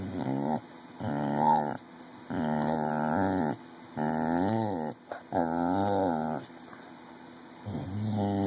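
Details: A 14-year-old red heeler, a pet dog indoors, asked to say mama for candy, gives repeated drawn-out moaning howls with bending pitch, about six in eight seconds, separated by short pauses.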